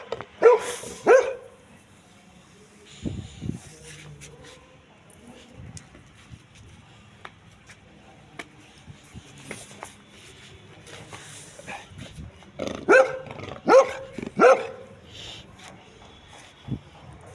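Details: Labrador Retriever barking in two bursts: a pair of loud, sharp barks at the start, then a long quiet stretch with faint clicks and shuffling, then a run of four or five harsh barks close together near the end.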